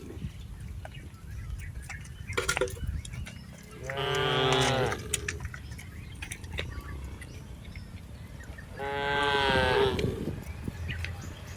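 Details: Tame cattle being herded in a rice field, two long harmonic moos around four and nine-and-a-half seconds, each about a second long, over a low rumbling background with faint clicks.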